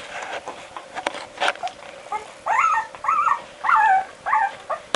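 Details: Barbet puppies at twelve days, in the puppy box seeking their mother, start with soft rustling, then give four loud, drawn-out whining cries, each rising then falling, roughly every half second to second apart.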